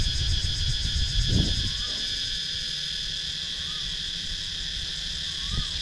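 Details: Cicadas in the wooded countryside of Sakon Nakhon, Thailand, recorded with a GoPro Hero 9: unbroken high buzzing drone, three short soft rising-then-falling whistles from another creature, and a couple of low thuds.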